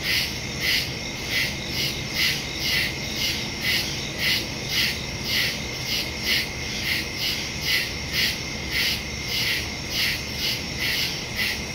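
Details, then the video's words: Crickets calling in woods at night, September 2, 2023, phone with stereo microphone; rapid steady chirps near two per second from many insects, a continuous high trilling chorus with soft low background noise. "Crickets in the woods at night"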